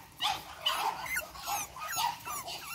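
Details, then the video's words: Energetic Boston Terrier puppies, Charm's 8-week-old litter, letting out bursts of shrill yips and squeaky whines in quick succession, several pups overlapping. "Energetic Boston Terriers. Charm's 8 wk old litter."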